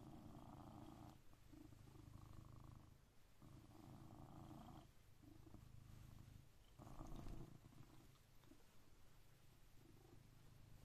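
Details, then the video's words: Blue British Shorthair cat named Coconut, which wakes its owner daily at exactly 6am, purrs loudly nearby; low continuous rumble broken into rhythmic surges with short pauses between breaths, a slight louder push near the end. "My 6am Cat Alarm"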